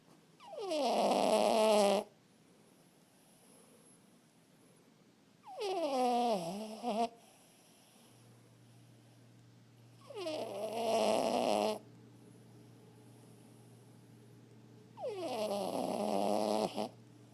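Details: Chihuahua mix, a former stray recently adopted from the pound, snoring loudly while asleep: long whiny breaths, each falling in pitch, lasting about two seconds and coming roughly every four to five seconds, with quiet pauses between.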